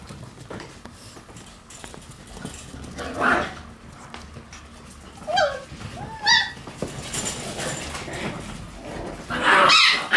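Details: Red Shiba Inu female puppy born December 31, small but lively, giving a few short high whimpering squeaks around the middle of the clip with a brief yelp near the end, over quiet indoor background noise.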